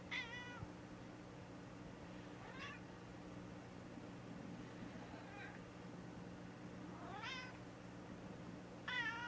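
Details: Female gray tabby cat after polyp-removal surgery: a series of brief, high, rising and falling meows, some faint, scattered across the stretch over a constant low electrical hum.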